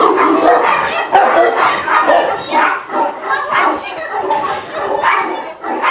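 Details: Tibetan Mastiff at the Nasledie Tibeta kennel in Russia, untrained for protection, barking at unfamiliar strangers during a working-quality test; deep rough barks come in irregular bursts, roughly one a second, with people talking and calling close by.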